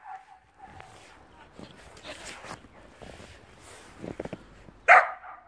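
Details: Puppy Lexi playing in snow for the first time, with Luna, gives a single loud, sharp bark near the end after soft rustling, crunching steps and people talking outdoors.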